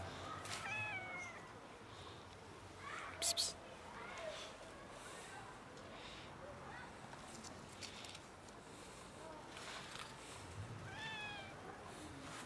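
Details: Three black cats being fed dinner on a bench, visited weekly; a few short meows with downward-sliding tones near the start and again around eleven seconds, amid a low hiss of background noise and a brief clatter.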